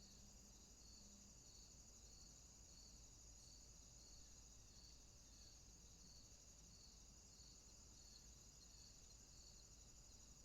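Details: Night swamp crickets: a continuous shrill high-pitched chorus with a beating, pulsed trill repeating roughly twice per second, constant throughout, with a soft low hum beneath.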